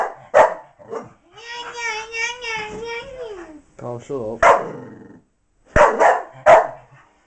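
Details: Female miniature English bull terrier Blaze, frustrated by a box hiding her toy, gives a long wavering high whine of about two seconds, then several abrupt barks, with a person's voice mixed in.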